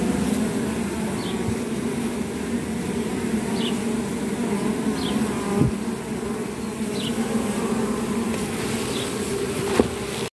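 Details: Honey bees, one plucking pile from an intruder bee from another hive so she cannot fly; a constant low buzzing hum with occasional faint short higher whines and a couple of soft clicks.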